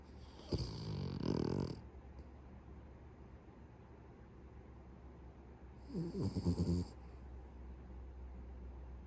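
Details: Sleeping pet Beagle snoring heavily enough to rival a middle-aged man: two rattling, breathy snores about five seconds apart, each lasting roughly a second, with a low buzzing rasp and airy hiss, then quiet room noise between.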